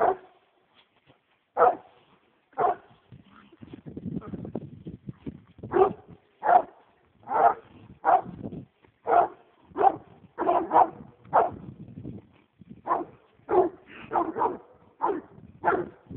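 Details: American Leopard Hound on a roll cage, worked up over a raccoon, barking repeatedly in loud irregular bursts, with a rough rustling or scraping stretch near the start.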